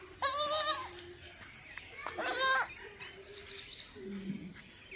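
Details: Baby goat giving two short wavering bleats with stacked harmonics, the second louder, over a faint steady background hum and low murmur.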